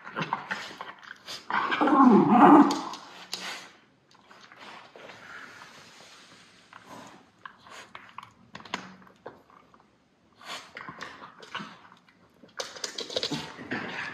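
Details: Levi and Lucky, white Miniature Schnauzer brothers in Aroostook County, Maine, feisty after haircuts and play fighting; a loud growling burst early, then quieter scuffles, snorts and short growls indoors.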